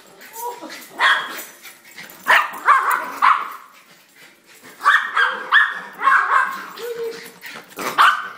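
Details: Two Schnauzers welcome their owner home with excited, sharp barks and yips in bursts, mixed with short rising whines, while a man talks to them in an eager, coaxing voice.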